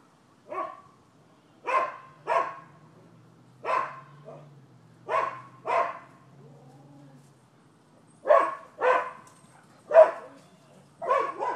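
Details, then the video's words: Neighbors' dogs barking as a nuisance, recorded 12/7/15: sharp, separate barks come singly and in pairs, about a dozen over the stretch, with a low steady hum between them. "Barking Dogs"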